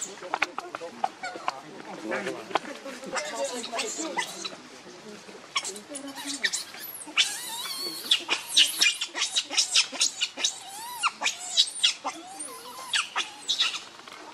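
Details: Baby monkey Rainbow pleading with its mother for milk while holding her tightly: soft chattering squeaks at first, building into long runs of loud, piercing, trembling cries, each repeated every fraction of a second.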